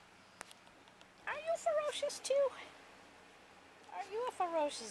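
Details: Puppies playing together, one letting out a run of short, high squeals and yelps, each arching up then down in pitch, a quick cluster followed by a second burst a few seconds later, with a woman talking softly to them.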